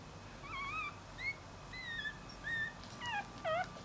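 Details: Dachshund puppy searching for its mother, giving high thin whines that rise and fall, about six separate cries spaced roughly half a second apart, with a faint steady hum underneath.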